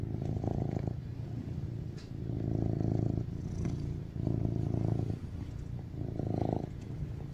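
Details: Affectionate rescued tuxedo cat BabyCharlie, male, born 2019, purring loudly on his owner's chest as he craves cuddles. Low, throbbing purr comes in strong bursts of about a second, separated by softer breathing gaps, four swells in all.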